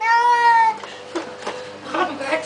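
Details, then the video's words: Pet cat crying during a flea bath indoors: a loud sustained wailing meow held for most of a second, followed by people speaking and water sounds. "Cat Cries While Getting Flea Bath"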